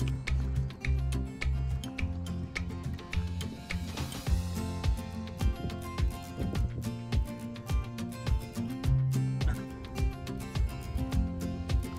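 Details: Gentle instrumental music with a steady ticking beat plays throughout.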